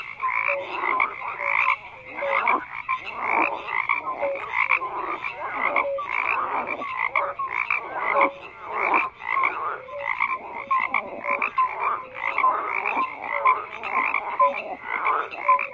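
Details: Frogs croaking en masse, a throbbing chorus of harsh pulsed calls that swells and dips in rhythm, with small clear tonal notes repeating among them.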